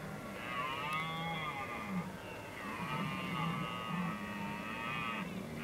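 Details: In the Oostvaardersplassen on 15 October 2011, red deer in rut give two long, drawn-out, undulating roars, the second lasting about three seconds, over a constant low rumble.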